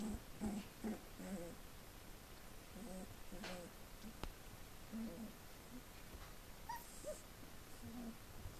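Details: Four-week-old Collie puppies from litter D vom Flörsbachtal, indoors, giving a run of short, low, harmonic grunts and whimpers in irregular bursts, roughly two per second, with soft rustling and occasional clicks between them.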